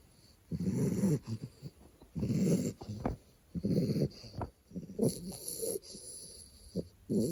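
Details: Two-month-old American Bully puppy asleep, snoring softly: low rumbling breaths roughly every one and a half seconds, each rasping snore lasting about half a second, with faint snuffles between.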